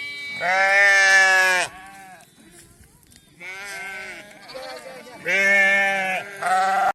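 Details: Sheep at PPR vaccination time, a mother seeking her lamb: a long tremulous bleat, a quiet pause, then softer and renewed loud bleats of about a second each.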